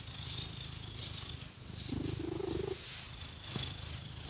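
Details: Domestic cat purring while its fur is scratched with fake nails; a steady low rumbling purr throughout, with a brief rising whine-like tone in the middle and soft scratching rustles over it.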